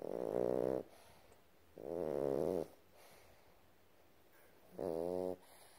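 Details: Sleeping baby Boston Terrier snoring up a storm, loud nasal rattling snores with a buzzy, harmonic tone, three long breaths roughly every two seconds with quiet pauses between.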